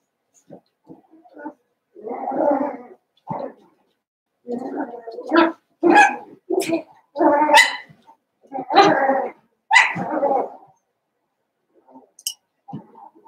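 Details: Daisy's Cavalier King Charles Spaniel puppies, seven weeks old, kept in a puppy pen inside the house, make gurgling, growly grumbles and short squeaky yelps in a busy run of uneven bursts before it trails off.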